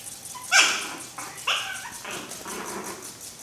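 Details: Pekingese-mix puppies, the mother a Pekingese and the fathers unknown, playing at home. Two sharp, high-pitched yelping barks about a second apart are followed by softer, fading whimpers.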